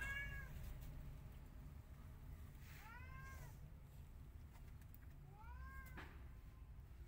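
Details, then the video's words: White cat angry at a tiny kitten trying to come into her hut, giving three thin wavering meows spaced a few seconds apart over constant low background hum. "Angry White Cat Is Not Happy When Tiny Kitten Try Come Inside Her Hut"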